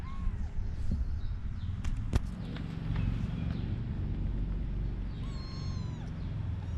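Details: Kittens of a cat named Taeng On, the litter named Suea Dao, Sam Li, Thurian and Dao Rueang; a short meow opens, then after a pause a longer, harmonic-rich falling meow, over steady low engine-like rumble and a couple of sharp clicks.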